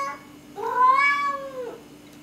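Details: Indoor pet cat restless with cabin fever, recorded on a Canon T2i camera, gives one drawn-out meow lasting about a second that rises, holds, then falls away, over a steady faint electrical hum.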